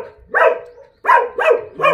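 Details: Barking from Jindo dogs at the breeding facility of the Jindo Dog Theme Park, Jindo County: four sharp, bright barks within two seconds, several in quick succession.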